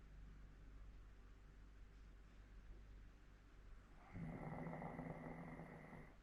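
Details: Elderly 14-year-old Hokkaido dog in Sapporo, Japan, snoring in its sleep: soft, low rumbling breaths for about four seconds, after which a steady humming tone comes in and partly masks the snores.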